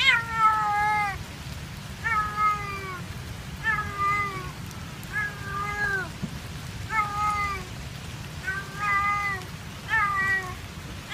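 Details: A cat abandoned by its owner at an ice cream stall in Kebun Raya Bogor meows sadly and persistently. Loud, clear, falling meows come about every one and a half seconds, each long and rich, over a soft low background hum.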